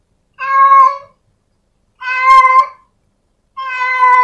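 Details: A female cat at home calls to a male with three clear, even, wailing meows spaced about one and a half seconds apart in otherwise quiet surroundings.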